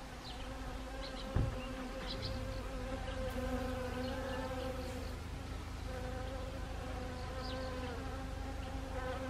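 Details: Honeybees foraging on Siberian chrysanthemum flowers in autumn, Gangwon Province, Korea, 1 October 2020; a steady droning hum with layered harmonic bands, several bees overlapping, faint high chirps of other insects or birds in the background.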